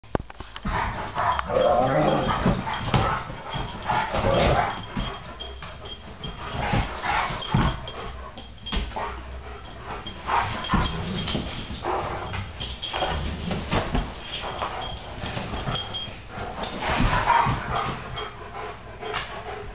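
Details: Two Great Danes, foster dog Snickers (Nick) and Rylee, playing together on a couch indoors; rough, irregular growls and huffing bursts come in quick succession, with scuffling and thumps of bodies moving around.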